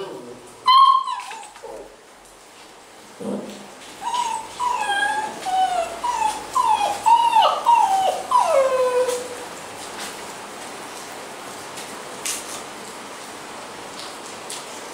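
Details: Basset Hound puppies at a kennel in Londrina, Paraná, Brazil: one sharp yelp, then a run of about eight thin, tonal whimpers, each sliding downward, coming roughly every half second before fading into quiet background hiss.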